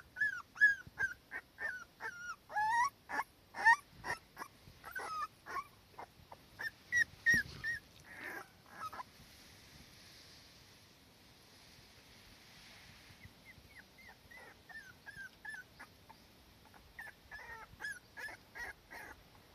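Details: Cardigan Welsh Corgi mother and daughter in warm sunshine, the young one still anxious without its mother close by: high, thin whines rising then falling, given in quick runs of short whimpers, a quieter pause midway, then another run.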